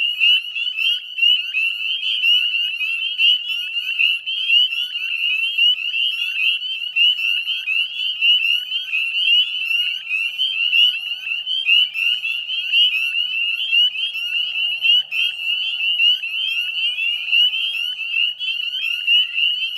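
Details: Northern spring peeper chorus at dusk, 9:08 p.m. on 18 May 2020, Chezzetcook salt marsh wetlands, West Chezzetcook, Nova Scotia, Canada: dense overlapping high piping peeps forming a continuous shrill wall of sound, with short upslurred notes from many frogs.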